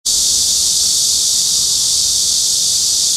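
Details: Cryptotympana atrata cicada singing, recorded on a Sony PJ820 with an ECM-XYST1M microphone: a loud, unbroken, hissing high buzz that starts abruptly and holds steady throughout.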